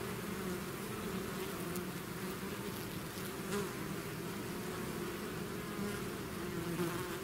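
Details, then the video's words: Swarming bees leaving their hive make a thick, droning hum of countless wings, steady in loudness, with faint higher whining of individual bees passing close. "bees therapy swarm natural buzzing sound"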